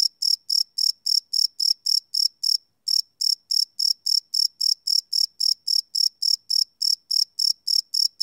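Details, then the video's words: Cricket chirping at night, recorded live on a Sony PCM D100 field recorder: clean, high-pitched pulsed chirps repeated about three or four times a second, one brief pause near the three-second mark, no other sounds. "Cricket Chirp Sound - Cricket Sounds at Night"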